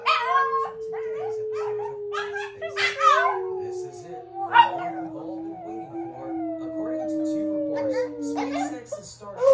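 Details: Indoor Shih Tzus howl in uneven, drawn-out yowls, some falling slowly in pitch, mixed with brief yips. A person's speech and a steady background hum overlap the calls.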